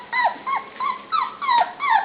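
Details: Hungry pups at dinnertime, including Truffle, make a run of about six clear, high whimpers, each a quick upward-then-downward slur, spaced roughly a third of a second apart.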